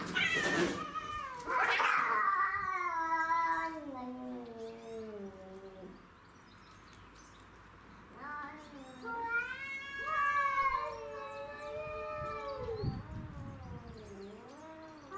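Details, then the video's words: Domestic shorthair cats fighting over territory: Tom, black and white, Mimi, white and ginger, and a grey and white neighbourhood stray. Long wavering yowls with rich harmonics sweep down then rise again, one sharp burst near the start, brief quieter gap midway. "Craziest Cat Fight Compilation Video"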